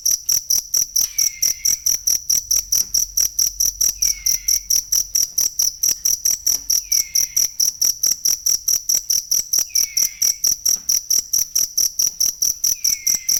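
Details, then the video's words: Cricket recorded as a tutor sound for training songbirds: a steady, high, shrill chirp pulsing about four times a second without a break, with faint, brief downslurred whistles recurring every few seconds underneath. "ASLI SUARA JANGKRIK BUAT MASTERAN BURUNG"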